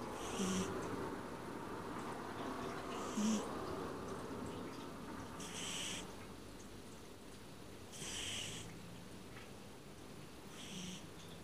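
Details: Domestic cat sleeping, snoring with soft breathy rasps roughly every two and a half seconds, each a brief hissing burst over a steady low hum of room noise.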